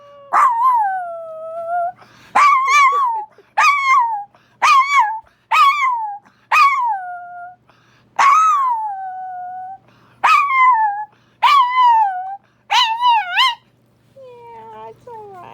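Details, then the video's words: Female Chihuahua howling in reaction to Minneapolis's monthly tornado siren test: a run of about eleven short, yelping howl notes, each rising then dipping, spaced roughly a second apart, ending with a softer whine. "My Chihuahua Winnie Howls at Our Tornado Siren"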